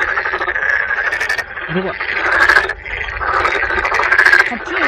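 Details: Large gathering of toads, with many tadpoles nearby, at Sangdangsanseong fortress in Cheongju, Korea: a noisy chorus of dense, continuous trilling calls, rising and falling in waves, with people talking in the background.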